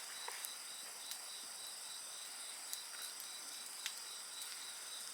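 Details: Steady, piercing high trills from several insects run throughout beside a bonfire, whose frequent crackles and sharp pops stand out over the chorus.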